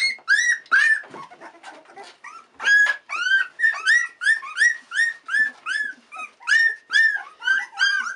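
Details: Bluebelle's Australian Cattle Dog puppies, 16 days old and exploring their surroundings, give loud, high-pitched squealing whimpers in quick succession, about two or three a second. Each cry is short and arched, rising then falling, with bright overtones.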